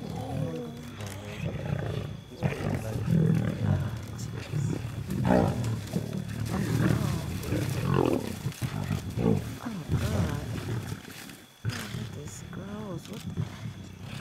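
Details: Lion pride feeding at night in South Luangwa National Park, Zambia, during a July 2007 safari; deep rumbling growls and snarls overlap throughout, mixed with people talking nearby in a vehicle.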